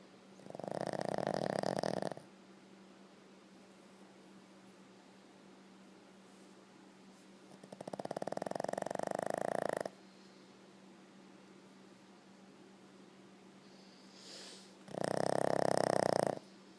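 A Boston Terrier snores in slow, rasping breaths, each lasting about two seconds with quiet pauses between.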